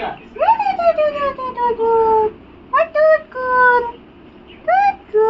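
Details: Tickled pug giving a string of high, nasal whimpers, each sliding downward in pitch; a long whine opens, then shorter ones recur about every second with brief pauses between.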